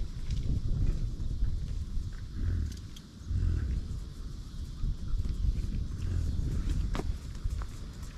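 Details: American bison on a buffalo ranch, giving deep, rough grunting rumbles that swell and fade several times across the stretch, with low rustling and faint footstep-like noises between them.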